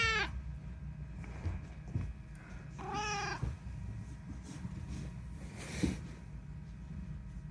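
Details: Talking rescue cat Unagi meowing indoors: a short meow at the start and a fuller arched meow near three seconds, with rich stacked harmonics, then a faint brief sound later over low room hum.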